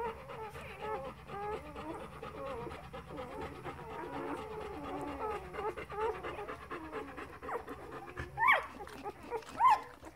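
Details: A litter of four-day-old Golden Retriever puppies squeaks and whimpers in a steady, overlapping murmur.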